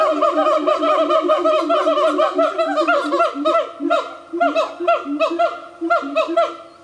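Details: A close-knit family of five siamangs in remote forest in the Highlands of North Sumatra, Indonesia, sings a loud run of honking, barking notes, each rising then dropping, overlapping in quick succession.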